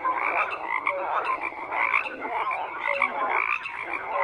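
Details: Frogs in full chorus, continuous raspy croaking layered from many animals, with occasional squeaky upward chirps and brief whistles rising above the constant churning din.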